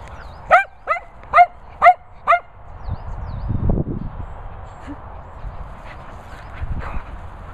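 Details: Cocker Spaniels at a dog training and boarding kennels in the Worcestershire countryside: five sharp, bright barks in quick succession about half a second apart, then low rumbling handling noise and a few faint distant sounds.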